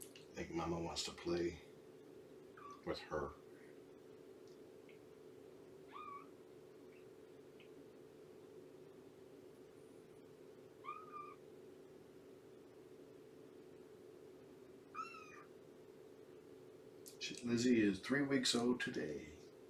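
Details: Morning in a Purrfect Pals foster home with Shelby, a roughly two-year-old cat, and her three-month-old kittens: short high mews spaced several seconds apart, with human talking at the beginning and end over a constant room hum.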